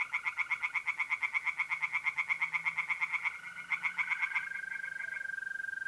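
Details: Singing tree frogs in a north-east Italian pond on an April night. Loud, rhythmic pulsed calls come about three per second for four seconds, then stop. A steady mole-cricket trill continues alone at the end.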